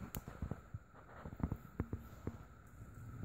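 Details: Quiet room hum broken by scattered sharp taps and clicks like footsteps or handling noise, with no animal voices.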